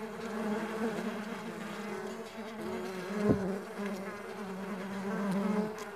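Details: Farmed stingless bees humming continuously, a low harmonic drone with gentle rises in loudness and a short sharp buzz passing close at about three seconds.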